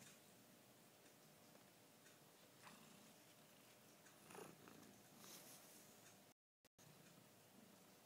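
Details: Domestic cat, one of a household pair of a Chartreux and a chinchilla Persian, purring indoors: a quiet, continuous low rumbling buzz with faint pulsing, a few soft rustles, and a brief silent gap near the end.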